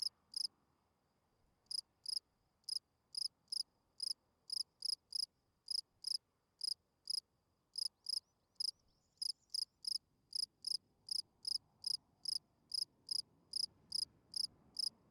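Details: Spring field cricket calling song at night, meant to attract females while hidden in a burrow: sharp, high chirps repeated about every half second after a brief opening pause, steady and clean over a quiet background.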